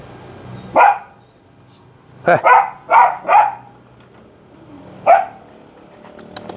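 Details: Belgian Malinois barking during a training session: one bark, then a quick run of four barks, a pause and a final single bark, over a low steady background hum.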